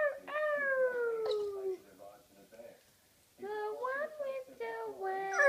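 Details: Blue English Staffordshire bull terrier singing along to its owner indoors: a long wavering howl slides downward for nearly two seconds, then after a quiet gap another rising-and-falling howl returns, mixed with a person's voice.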